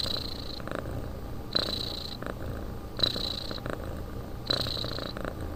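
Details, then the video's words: Cat asleep indoors, snoring rhythmically: a raspy breath roughly every 1.5 seconds, each topped by a faint nasal whistle, with a steady quiet background between breaths. "Кот спит"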